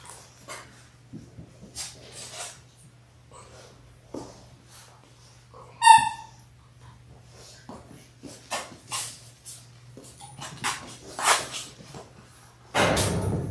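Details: Six-week-old Labrador Retriever puppies, a litter of six born January 18, 2022, indoors on a puppy cam on February 28: soft snuffles and rustling, then one sharp, high, tonal yelp partway through, more shuffling, and a burst of loud rustle at the end over a steady low hum.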